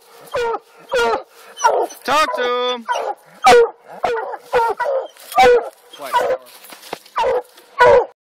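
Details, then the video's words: Coonhounds barking at the tree during an Alabama coon hunt; separate harmonic bawling barks roughly every half second, one drawn-out howling note early on, with a short electronic beeping tone. "Alabama coon hunting Black and Blue dogs"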